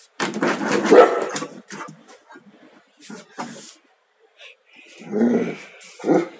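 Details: A 3-year-old Tibetan Mastiff, exported from Hong Kong, gives loud, rough barks in separate bursts.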